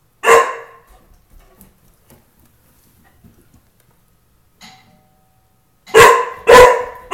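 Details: Tukoma, a house dog guarding his home, gives one sharp bark, falls quiet while a doorbell chimes, then fires off two rapid loud barks about half a second apart.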